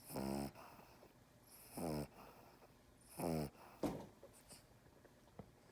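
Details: Small pet dog held in someone's arms making its inverted reverse snore indoors: three loud, harmonic, rasping snorts about 0.5 s each, roughly every 1.5 seconds, with a sharp click and quieter sniffs between.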